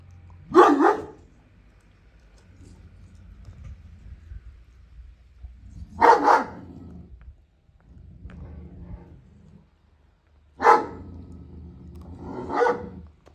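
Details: Female Kangal Reina guards her food indoors from another dog, Vurgun, who hesitates to come in. She gives four deep, loud, harsh barks, each several seconds apart, with a low rumbling murmur between them.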